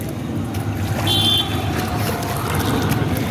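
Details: Outdoor rumble of traffic and water with a brief high horn-like tone, and no animal call.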